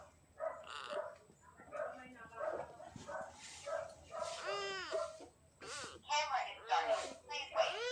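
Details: Little gray kitten asking for love gives rising-falling, arched meows that grow louder and more frequent in the second half, mixed with a person talking over the first few seconds.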